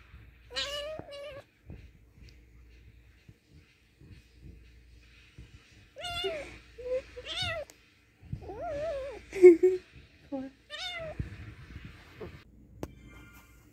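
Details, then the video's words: Angry cat making a series of strained, wavering meows and short yowls in irregular bursts, with bumps, rustling and a loud snort-like thud between calls in a small room. "So Angry Cat/Cute Angry Kitten/Cute Kitten"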